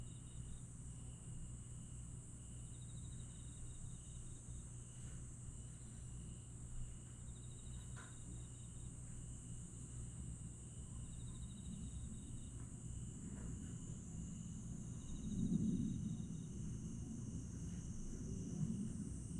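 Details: Grass insects on a summer night in Aewol, Jeju, 22 July 2022: a steady, thin, high trill runs throughout, with fainter pulsed chirps beneath it, set over a constant low rumble that swells near the end, as an airplane passes.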